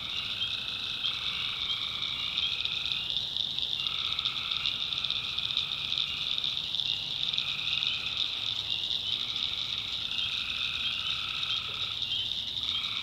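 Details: Tree frogs in a nighttime swamp in the backwoods of North Carolina: a continuous, dense high trilling chorus, its lower droning layer breaking off and resuming roughly every three to four seconds.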